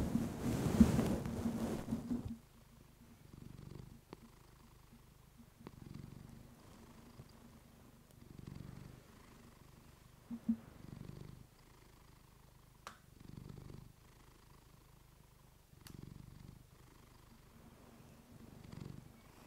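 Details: Purring house cat, female, captured on a fluffy microphone for relaxation; opens with two seconds of loud rustling handling, then gentle low vibrating purr pulses return every two to three seconds, with occasional faint ticks.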